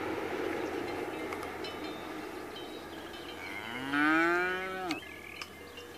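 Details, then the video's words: Cows at pasture. After a few seconds of steady background rumble and faint cowbell tinkles, one cow gives a single deep, drawn-out moo that rises slightly and cuts off sharply. Soft bell clinks follow. "Vacas , el rumor"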